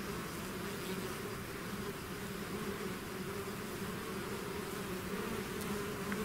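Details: Bees swarming out from their hive make a thick, continuous buzzing hum, the low tones wavering slightly as individual insects pass, no other sounds.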